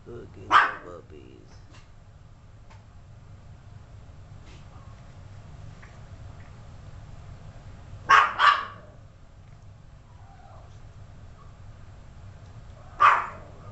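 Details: Indoor Yorkshire Terrier with 32-day-old pups; isolated shrill yaps, one early, a quick double yap near the middle and a last one at the end, separated by long quiet stretches over a faint room hum.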